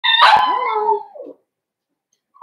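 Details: Blenheim Cavalier King Charles Spaniel puppy, one of a litter of five born at New Year, in a home puppy pen; a single drawn-out whine that slides downward and fades within about a second, followed by quiet.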